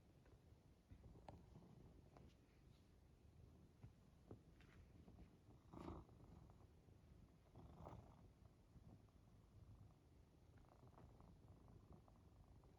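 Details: Cat cuddling on a person napping after a gym session, giving a soft low purr throughout, broken by occasional clicks and rustling movements, with a couple of louder breathy bursts.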